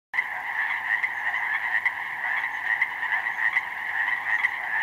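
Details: A dense spring chorus of Pacific chorus frogs, recorded 19 May 2011 in a slough meadow flooded with snowmelt, with many overlapping raspy two-part croaks blending into a steady din.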